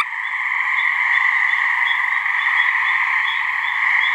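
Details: Mating calls of gray treefrogs, a couple of frogs in a swamp in New Hampshire: continuous, even, overlapping trilling buzz in two steady pitch bands, with a quiet low background.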